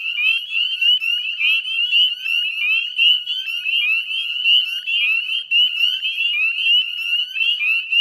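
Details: At West Chezzetcook, Nova Scotia, northern spring peepers fill the spring dusk of 18 May 2020 with a ceaseless wall of piercing, rising whistles, many frogs overlapping, plus faint lower trills in the background.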